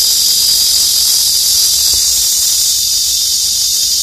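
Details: A cicada hidden among the leafy branches of trees gives a steady, high-pitched buzzing drone in summertime, unbroken throughout.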